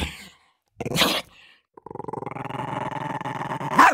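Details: Dog growling while fighting over food: a short harsh snap, then a steady pulsing growl for two seconds ending in a sudden sharp bark.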